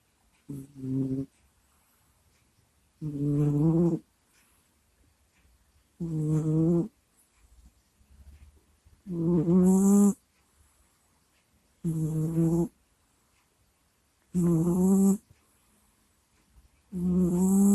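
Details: Sleeping house cat Kusya snores steadily into a microphone. Loud, buzzy, low snores with wavering pitch last under a second each and repeat about every two to three seconds in a silent indoor room.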